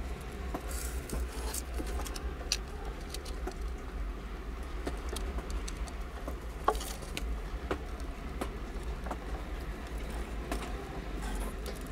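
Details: Soft patter and scattered clicks over a steady low indoor hum, with no clear animal voice.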